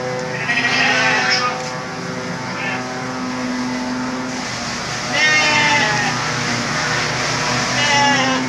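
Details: Sheep at evening feeding time, giving several wavering, harmonic bleats, the longest near the start and middle, over a steady low hum with engine-like noise and some human voices in the background.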